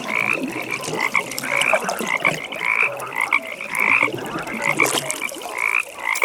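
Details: Pond frogs calling at night, a steady high trilling chorus broken by louder bursts of croaks every second or so, with clicking ambience.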